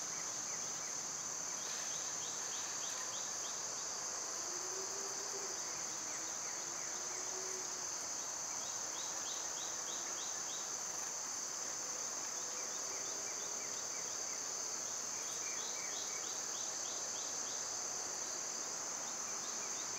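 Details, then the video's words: Loud summer cicada chorus, a constant piercing hiss over twenty seconds, with many faint trilled chirp series repeating in the background and a few soft lower whistles midway. "Cicada sounds"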